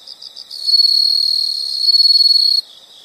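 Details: Insect giving a loud, high, buzzing trill lasting about two seconds, bracketed by softer pulsed chirps before and after.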